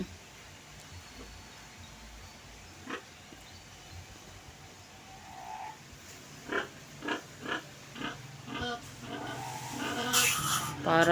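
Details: Restless sow looking for her piglets weaned that morning, being sprayed during a bath: quiet at first, then a string of rhythmic grunts roughly every half second, ending in a loud hiss of spraying water.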